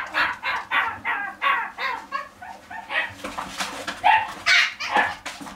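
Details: At a pet shop, a dog repeats shrill, evenly spaced yaps roughly twice a second, the later ones louder and more squeaky.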